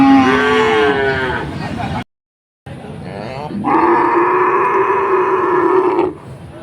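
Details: Cows at a village market, five together: a falling moo, a short silent break, then a rising onset into a long, loud, flat moo held for over two seconds.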